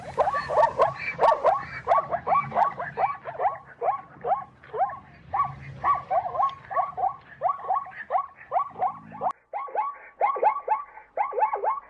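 A zebra gives a long run of high, yelping barks, several per second, harsh and nasal.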